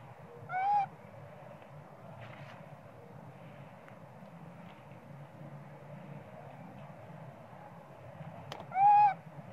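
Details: Hungry baby monkey Sweet Pea crying for milk while its mother pays little attention; two loud, tonal, harmonic-rich wails about eight seconds apart, each short and slightly rising then falling, over a low steady background hum.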